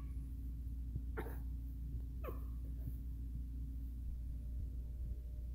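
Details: Miniature Schnauzer; whine; asking to play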